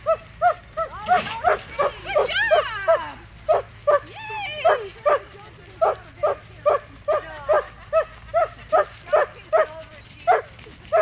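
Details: Standard Poodle herding sheep, giving a fast, steady run of short barks about two or three per second, broken early on by wavering, whining calls.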